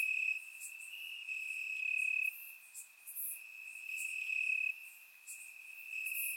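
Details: Night chorus of crickets in Bulgarian grass on a warm summer evening, surround-recorded; one bright, sustained high-pitched trill runs unbroken, swelling and fading in loudness, with scattered sharper insect clicks above it.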